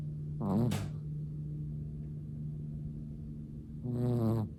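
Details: A sleeping Chihuahua snores softly: two short nasal snores, the first with a whistling, wavering tone, then a quiet pause and a second longer rasping breath near the end. A low steady hum stays under everything.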